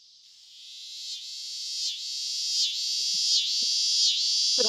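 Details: A male scissor-grinder cicada gives a loud, shrill buzz that pulses rhythmically, rising and dipping about every second.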